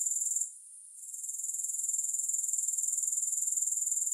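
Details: High shrill trill attributed to grasshoppers, briefly dipping to near quiet just after the start, then rising back into a fast, regular pulsing chirr that carries on steadily, with no music.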